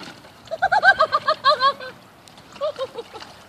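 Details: Poodle at a pool party, 16 May 2017, giving a quick burst of about ten short, high, tonal yelping whines, then a pause and four more softer ones.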